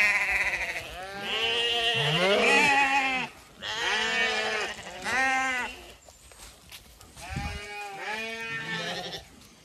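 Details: Zwartbles ewes exiting the long acre at dawn on a Sunday, County Kilkenny, Ireland; long tremulous bleats, several overlapping, in three bursts separated by short pauses.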